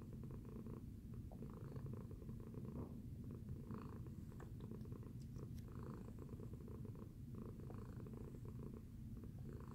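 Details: Low steady purring from Tacy, a domestic cat, after her breakfast; the rumble keeps an even pulse with breath-cycle swells about every second or two, plus a few faint light clicks.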